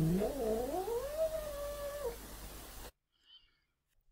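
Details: Domestic cat (Donna) in a cage gives a howl growl, a drawn-out wail rising in pitch and loudness, then sinking into a falling, quieter growl, repeated; an early warning to another cat that gets too curious.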